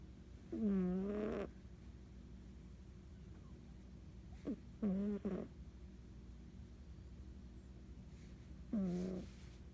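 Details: A sleeping female domestic cat snoring: three low, nasal, buzzy snores, each under a second long, spaced about four seconds apart, over a quiet background hiss.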